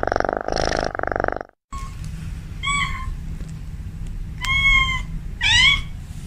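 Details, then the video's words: Domestic cat at home, described as a female calling a male: after a loud pulsing rasp and a brief silence, three short, thin meows follow, the last one bending upward, over a low steady hum. "Suara Kucing Memanggil"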